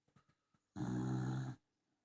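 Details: Loud snoring from a sleeping Dachshund indoors: one long, harsh, rumbling snore of under a second, deep and buzzy with a bright rasp on top, after a few soft breathy sniffs.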